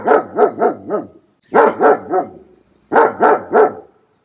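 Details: Young dog yapping in three quick clusters of three to four rapid barks each, short pauses between clusters, each bark clear and harmonically rich.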